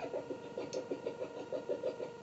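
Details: Red foxes in Vermont, thought to be a mother with her kits near each other, trade a rapid run of short, mid-pitched chattering notes.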